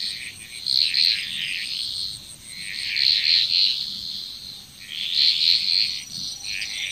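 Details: Loud frog chorus in Bali, Indonesia, with pulsing waves of piercing, rattling croaks arriving about every two seconds, each swell peaking sharply before easing, over a steady high hum.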